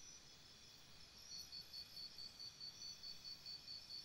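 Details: Crickets at night beside a campsite, a faint, high, steady chirp pulsing about three times a second over a constant hiss of background noise.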